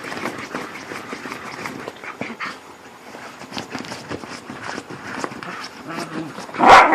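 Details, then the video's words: Whippets playing together in the dark, making funny noises: scattered short yelps and grumbly vocal bursts with rustling movement, ending in one loud sharp bark-like cry, a human voice faintly present. "Whippets playing in the dark & making funny noises"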